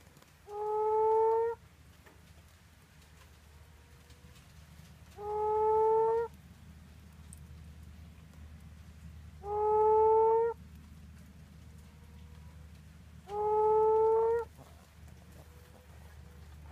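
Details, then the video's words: Whoopi frogs living in a garden and paddocks in Allanson, Western Australia give low, hollow, moaning whoops about a second long, repeated every four seconds, calling nearly all night long. "Whoopi frogs - sound only"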